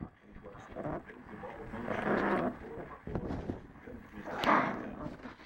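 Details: A 3-month-old female Lhasa Apso puppy gives rough, snarling growls in short angry bursts, with a person talking nearby.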